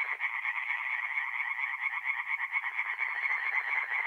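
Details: Singing tree frogs at a forest pond at night, mid-April in north-east Italy; steady wall of quick nasal croaks, roughly two per second, from several overlapping callers.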